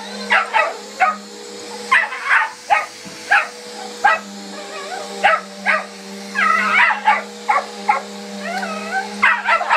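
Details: Miniature Australian Shepherd named Hiccup confronting a household vacuum, giving rapid yippy barks roughly every half second, some breaking into whining, wavering yelps, all above a constant vacuum motor drone.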